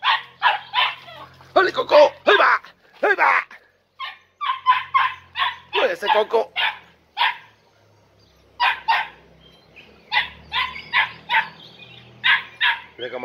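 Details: Podenco Andaluz litter of four puppies, three and a half months old, on a first visit to a riding arena: bursts of shrill yelping barks, a couple of drawn-out whines, then scattered quicker yaps after a short lull.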